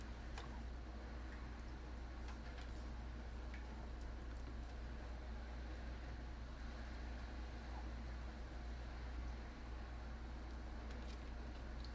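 Only a low steady hum with faint ticks and clicks is heard, with no animal calls.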